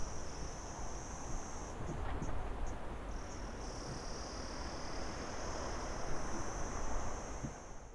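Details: Crickets calling in a steady, high continuous trill. Around the second to third second it breaks into a few short separate pulses, then runs smoothly again to the end over a low background rumble of wind-like noise.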